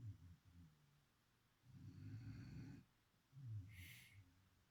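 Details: Chipi, a beagle, asleep and snoring in low guttural rasps; a short snort opens, a long rumbling breath follows in the middle, then another brief snore with a thin high squeak near the end.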